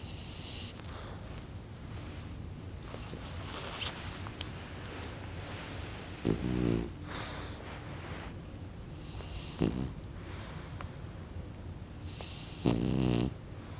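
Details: Kokubo, a pet French Bulldog, dozing off: three short, rough snorting snores at wide intervals, each a low buzzy burst lasting under a second, with a steady background hiss between them.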